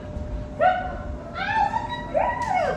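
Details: Ten-month-old female Siberian Husky at a dog-training session, being asked to come and sit; three high, drawn-out whining cries, each sliding up then down, in under three seconds.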